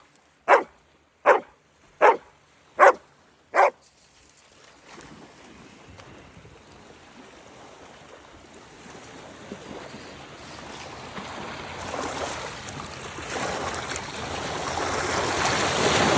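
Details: Dog barking five times in quick, evenly spaced sharp barks over the first four seconds, then silent while a rushing stream or water noise steadily grows louder to the end.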